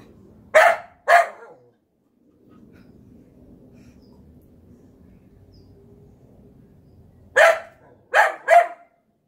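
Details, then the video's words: Golden Retriever Collie mix barking at a zucchini just picked from the garden: two sharp barks near the start, a quiet pause with low background rumble, then three more barks in quick succession toward the end. "Our Golden Collie Barking at a Zucchini"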